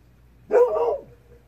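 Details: At dusk a Golden Retriever answers faint fox cries from far off, possibly as a warning. It gives one rough bark that holds for about half a second and then falls away, over a steady low background hum.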